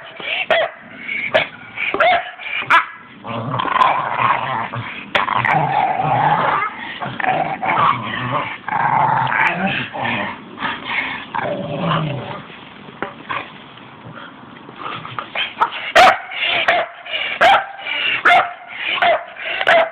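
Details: Staffordshire Bull Terriers playing together: continuous rough growling and snarling with short yips and barks, bursts of noise throughout, sharp clicks and thumps near the end.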